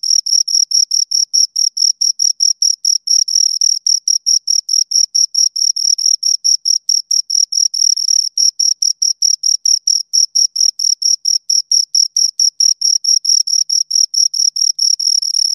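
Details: Pair of crickets stridulating close up: steady, shrill chirps repeated a little over twice per second in a regular rhythm, bright high tone with a faint upper band, otherwise silent background.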